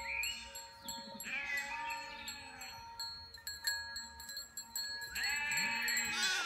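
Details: Mother sheep tending her newly born lamb: two drawn-out bleats, the first about a second long, the second rising sharply near the end, separated by quiet rustling, over a faint steady hum.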